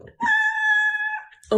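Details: Pet cat in a cat speaking challenge, meowing in a way that sounds like the word mama: one long, steady, tonal meow lasting about a second, followed by a surprised human exclamation.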